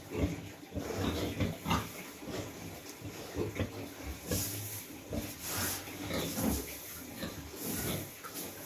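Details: Recently farrowed sow with piglets in a pen during cold weather; quiet low grunts mixed with higher squeaky bursts and rustling of bedding, over a steady hum.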